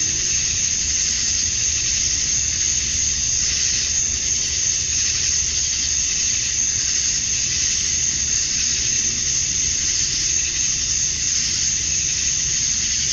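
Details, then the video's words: Summer dusk chorus of male cicadas in Georgia, USA, calling to attract females. A continuous shrill buzzing wall of sound that swells slightly and fades in slow waves, with no pauses, over a soft low background rumble. "Cicadas at Dusk, Summer Night"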